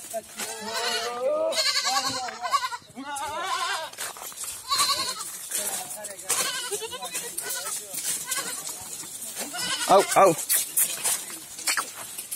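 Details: Several goats bleating on a goat farm in Rajasthan, India: overlapping wavering, quavering bleats follow one another closely throughout, with human voices talking between and over them.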